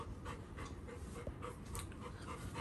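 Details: Labrador Retriever dog greeting his elder brother on being reunited pants rapidly, quick breathy bursts repeating about four times per second over steady low background noise.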